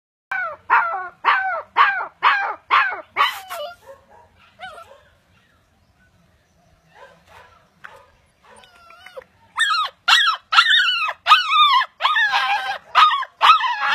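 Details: Pet Siberian Husky vocalising: a run of sharp yelping barks with falling pitch, several per second, then a quiet stretch with faint soft whines, then another rapid series of high, ringing barks.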